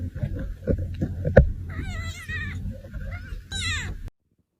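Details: Kitten giving two high, falling meows in the second half, after a stretch of clattering handling noise and low murmuring; the recording cuts to silence at the end.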